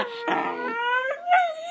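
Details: Puppy being trained to bark on command gives a drawn-out, tonal whining cry with stacked harmonics, rising and wavering toward the end, in one continuous vocal run.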